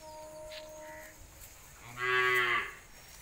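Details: A short, rough moo of under a second from a Punganur dwarf cow, a miniature humped breed, rising out of a quiet background. It is preceded by a faint steady tone and some soft rustling.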